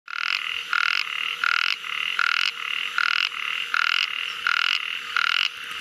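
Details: Ornate narrow-mouthed frog calling: harsh, buzzy rasping croaks in short bursts, about nine in six seconds, at a steady uneven pace with brief gaps, no other sounds.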